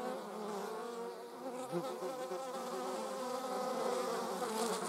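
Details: Honey bees mixed with wasps produce a steady humming swarm sound, overlapping buzzy tones shifting slightly in pitch as individuals fly close, with light rustling at the end.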